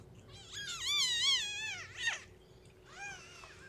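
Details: Newborn female kitten of the abandoned cat Shelby, lethargic and losing weight, calling while being fed and warmed indoors without littermates. Two long, high, wavering meows rise and fall, followed by a brief squeak and a shorter third meow.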